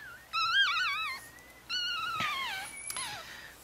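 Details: Chihuahua puppies, four days old, with their mother Bess in Fredericksburg, Virginia. Two wavering, high-pitched whines, each rising briefly and then sliding downward, with a softer third cry trailing off at the end.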